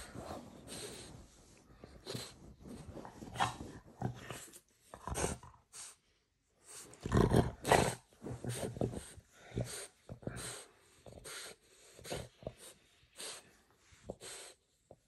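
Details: French bulldog being fed indoors, making rough, broadband snorting and grunting bursts in irregular quick clusters separated by short pauses, with louder throaty noises midway.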